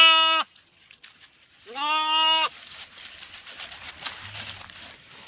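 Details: Baby sheep in Pakistan's Northern areas calling for its mother: a bleat cut off at the start, then a full, trembling baa lasting nearly a second, followed by soft rustling and faint background noise.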